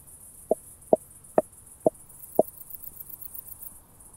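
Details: Starnberg, Germany, August 2023: a Southern Oak Bush-cricket heard through a Pettersson D 100 ultrasound detector gives five crisp, evenly spaced taps about half a second apart over a steady hiss.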